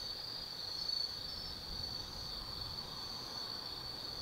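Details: Autumn insects at night in the forest of Tsukimi no Mori, Kaizu, Gifu, Japan, recorded near an observatory 180 m above the Nobi Plain; a steady high-pitched ringing trill holds throughout with faint low background rumble.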